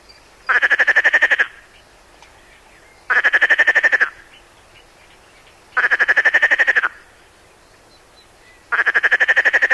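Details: Perez's frog of the Mediterranean coast, from a 1996 French educational cassette: longer grating rattles lasting about a second each, made of fast clicking pulses and repeated about every two and a half seconds, with little else audible.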